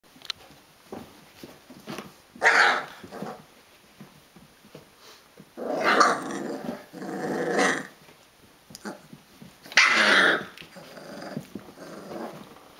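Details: Rhodesian Ridgeback puppies, 22 days old, wrestling indoors; three loud bursts of high squealing growls and yelps around 2.5, 6 and 10 seconds, with quieter scuffling and soft grunts between.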